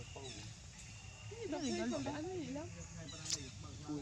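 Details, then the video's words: Abandoned monkey crying loudly: a run of wavering, warbling tonal cries that rise and fall over about a second and a half, over a low rumbling outdoor background with a brief sharp click near the end. "abandoned monkey was crying very loud"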